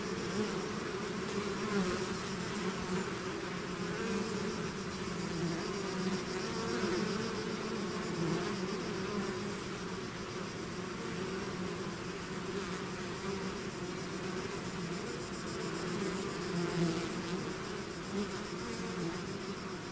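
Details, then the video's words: Swarm of bees leaving their hive, buzzing continuously: a thick, unbroken hum with layered low tones, gently rising and falling in loudness as many insects fly together. "bees therapy swarm natural buzzing sound"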